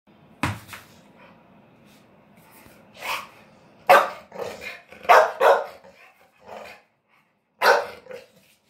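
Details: American Bully dog in Delhi NCR, India, barking: about six loud, sharp barks spaced irregularly over nine seconds, some coming in quick pairs, with quiet pauses between them.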